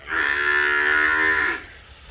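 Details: Nili-Ravi buffalo at a Multan, Pakistan semen production unit letting out a strong, even moo of about 1.5 seconds, flat and sustained before cutting off cleanly into quiet.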